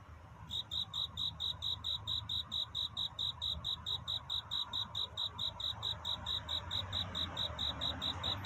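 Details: Night courtship song of a cricket searching for a mate: after a brief quiet start, sharp high chirps repeat steadily about twice a second, each a short pulsed burst, against a soft low background hum.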